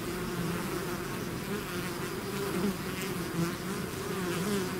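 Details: A bee swarm outside its hive: steady layered buzzing, low hum with a higher overtone band, individual bees gliding up and down in pitch as they circle close by.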